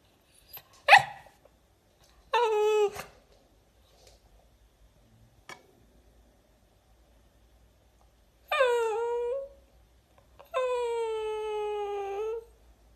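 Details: A ruby Cavalier King Charles Spaniel gives a sharp bark, then drawn-out, high, wavering howls.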